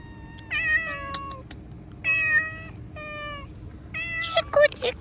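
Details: Several domestic cats meowing outdoors while a man calls them in Hindi; a run of plaintive, falling meows, some short and some stretched, crowding together and overlapping near the end, with clicks and rustling.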